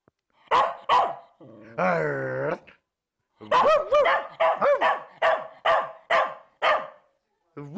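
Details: One-year-old Bedlington Terrier giving a rapid run of barks, including a drawn-out whining howl near the start, then about eight quick, clipped barks in close succession before a pause and a final yelp.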